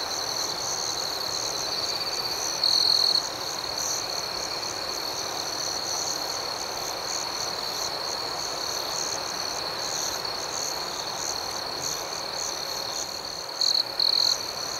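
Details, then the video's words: Nighttime cricket chorus outdoors, a continuous high-pitched ringing trill with a rapidly pulsing upper layer. A louder half-second chirp burst stands out near three seconds, with two more close together near the end. "Soothing Cricket Sounds"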